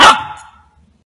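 A Golden Retriever puppy gives a single sharp, high bark of excitement that fades quickly.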